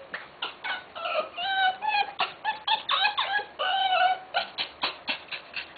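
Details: Birthing Tenterfield Terrier girl in Japan: dense bursts of high, nasal squeaks and drawn-out whines, some sliding up and down, repeating roughly four times a second with little pause indoors.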